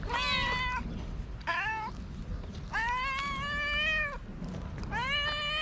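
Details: Hungry homeless street cats in Morocco crying out: four loud, clear meows, two brief and two long and wavering, with a steady low hum behind them.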